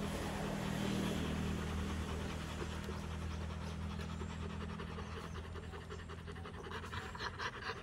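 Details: Rottweiler family after a fight, day 59: fast, even panting breaths that grow more distinct toward the end, over a constant low-pitched droning background.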